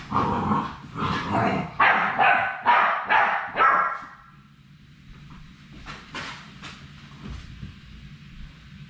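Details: On their last day at High Desert Labradors before leaving for new families, one of three Labrador Retriever puppies lets out about six quick, rhythmic barks or yips in four seconds, then softer scattered yelps over low background hum.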